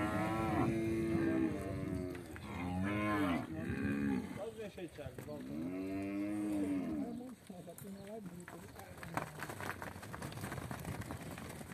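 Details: Angus × Nelore crossbred beef cattle calling in a series of loud, rich moos, each rising then falling, about four in the first seven seconds, followed by quieter scuffling and thumping.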